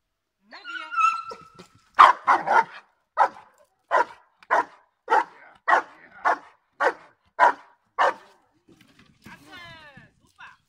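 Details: Giant Schnauzer Blackmoore Uno barking during protection work training, 5 January 2019. Brief human speech opens, then about twelve loud, deep barks come in an uneven series roughly every half second, and a man's voice follows afterward.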